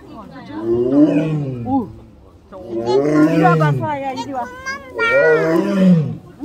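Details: Captive tiger at Seoul Grand Park zoo, 18 November 2022, crying loudly while pacing and exercising: three deep, arching moaning roars, each rising then falling, about a second long with short gaps, over soft background music.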